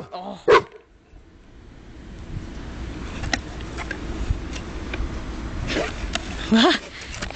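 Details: Water-shy dog, in the ocean only once in its life, gives a loud bark, then another about six seconds later, with people talking and background murmur in between.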